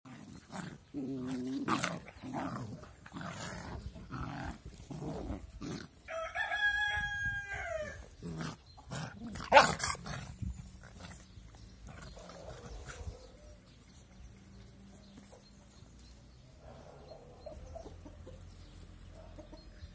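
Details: Two puppies play together, described as angry but cute. Short rough yaps and growly bursts open the clip, a long strained harmonic cry rises midway, then quieter scuffling and rustling follow.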